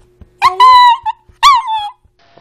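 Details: Honey, a pet dog said to turn 10 this year, answers requests to say hello with two drawn-out, tuneful howling syllables, the first wavering and longer, the second falling; quiet room with soft clicks.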